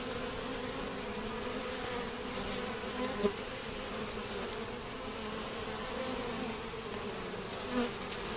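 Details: Honey bees robbing at a hive entrance that has been reduced and fitted with a Z-shaped screen. A dense, steady buzz of many bees, with a low hum and brighter overtones, and a few louder passes of single bees close by.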